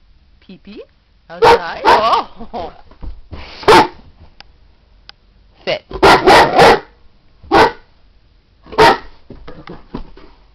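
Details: Female Great Dane at home signalling that she needs to go out: whine-like murmurs give way to loud barks in irregular clusters, some doubled, spaced a second or two apart, with a person's voice mixed in.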